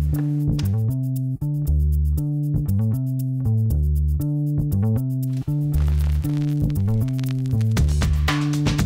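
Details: Only plucked bass guitar and guitar music is heard, with a steady repeating rhythm and no animal sound.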